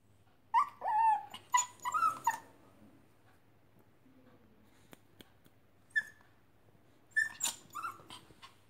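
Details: Lhasa Apso puppy in India crying: high, wavering whimpers and yelps in short bursts, a cluster at the start, a single note near six seconds, then another burst of rising and falling cries near the end, with quiet gaps between.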